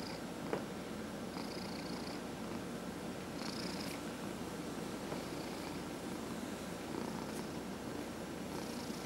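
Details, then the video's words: Domestic cat being massaged indoors, purring in a continuous soft low rumble, with occasional short rubbing strokes and a faint click near the start. "Four Purring Cats — Cat Massage"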